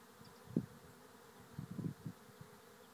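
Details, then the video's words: Bees swarming into a trap hive at Lisballyard, Rathcabbin, Ireland; brief low buzzes as individual bees fly close by, in short bursts over a quiet hum. "Bee Swarm into trap hive"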